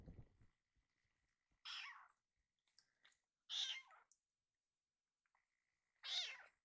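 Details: Rescued baby kitten whose cry sounds like the Japanese word "iru" meows loudly to ask for more food indoors; three bright, strong meows about two seconds apart, with faint handling sounds in between.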